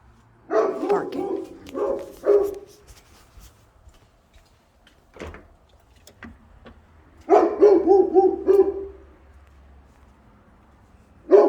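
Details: A domestic dog left on a balcony, where it barks for hours on end, gives short, harsh barks in bursts, pausing between clusters.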